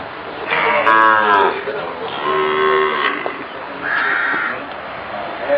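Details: Sahiwal calves on a cattle farm ahead of Eid ul Adha (Bakra Eid) 2019, giving three drawn-out, rich harmonic moos, each under a second long, spaced about a second apart, over faint background chatter.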